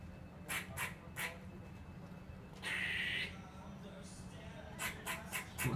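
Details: High on netting in Whitechapel, East London, a squirrel hanging upside-down reacts to a cat below with quick raspy chuck notes, a sustained buzzy squeal, then more rapid chucks, over a low hum.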